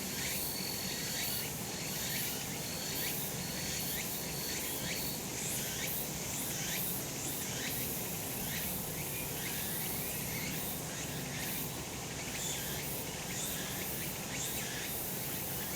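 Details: A sunlit summer mountainside full of cicadas: continuous high-pitched insect buzz, rhythmic throbbing pulses about once a second, and a steady thin tone running through the first few seconds.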